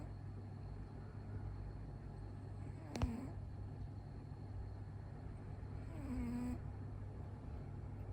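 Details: Sleeping domestic cat snoring hard, its eyes rolled back showing the whites: a steady low rumbling snore throughout, with two brief squeaky tonal catches near the third and sixth seconds.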